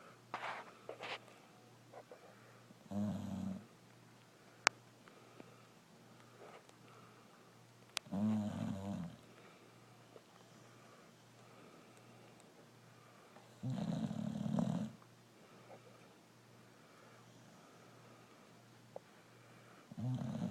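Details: Brindle Boxer dog Rokko asleep and snoring: deep, rattling snores repeating roughly every five to six seconds, each lasting about a second, with quiet hum and occasional clicks in between.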